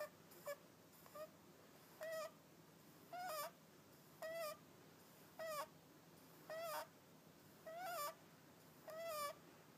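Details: A sleeping cat, Hakka, snores in a steady rhythm: squeaky, whistle-like nasal tones with a rasp of breath, close to one per second, nine in a row over a quiet background.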